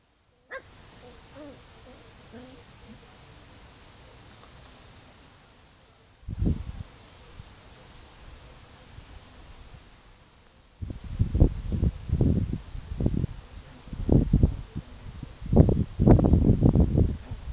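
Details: Chow chow dog at play: after a quiet stretch with a few faint whines, a dense run of short, rough barks and growls fills the final seven seconds, coming in irregular bursts.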